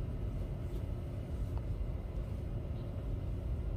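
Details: Low engine-like rumble fills the recording, with no meow or other animal sound audible.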